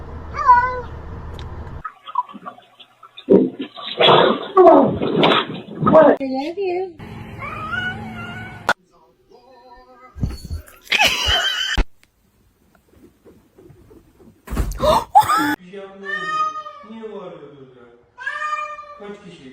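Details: Domestic cat meowing in a series of short, arched, harmonic meows that rise and fall, some drawn out into wavering cries, with gaps of silence, abrupt cuts and human speech between them.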